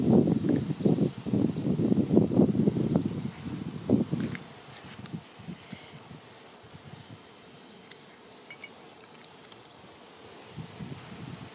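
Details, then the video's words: Swarming honey bees fill the air before landing together on a branch, waiting to be moved to a new home. A dense, low buzzing comes in overlapping bursts for about four seconds, then fades to faint outdoor rustling. "Honey Bee Swarm"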